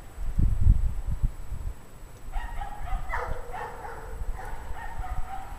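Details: Several dogs in a pack barking at dusk, 5 PM on January 9, 2009, at 17 degrees Fahrenheit; low thumping noise first, then a run of rapid overlapping distant barks continuing to the end.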